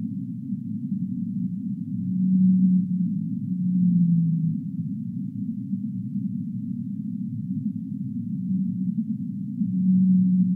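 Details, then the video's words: Whale song of deep, sustained moaning notes rising and falling in strength, several in sequence with pauses between, over a steady low roaring hiss. "relaxing Whale sounds"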